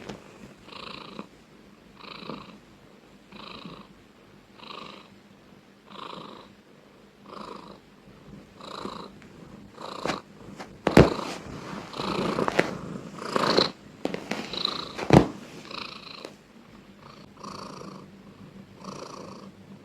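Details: Housecat purring loudly, a steady rumble rising and falling with each breath about once a second, broken midway by scattered rustling and clicking noises.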